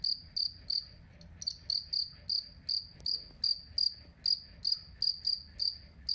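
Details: Two-spotted cricket (jangkrik kalung) for songbird master training: loud, high ringing chirps repeated about three times a second, slightly irregular, with a brief stutter of quick clicks early on.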